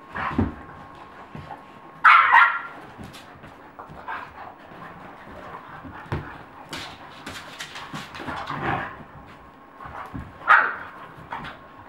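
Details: A dog fight in Colorado, heard as scattered yelps, snarls and barks amid rough scuffling noise. Sudden loud yelping bursts stand out, one early and one late.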